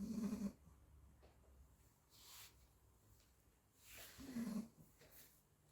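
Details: A 40-day-old Labrador Retriever puppy napping and snoring: two short, low, rough snores about four seconds apart, with soft breathy sounds between them.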